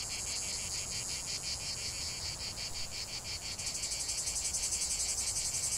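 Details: Cicadas singing in a 45-minute relaxation nature recording: a dense, buzzy high-pitched drone pulsing in rapid regular beats, the pulses growing quicker and louder after about three and a half seconds, with faint low rumble beneath.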